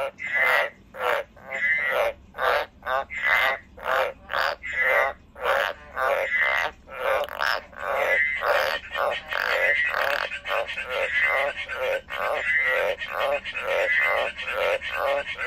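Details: A pet frog croaks continuously in a long rhythmic run of coarse buzzy pulses, each carrying a short rising whistled note, about two pulses per second and steady throughout; no other sounds.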